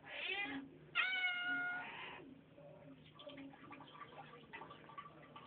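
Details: Domestic cat greeted by its owner: two meows in quick succession, the second longer and steady, followed by softer faint murmurs and a woman's quiet voice in a small room.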